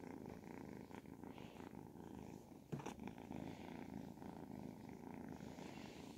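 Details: Ragdoll kitten, 10 to 12 weeks old, purring contentedly as it is stroked; a dense, unbroken low vibration with one short click in the middle.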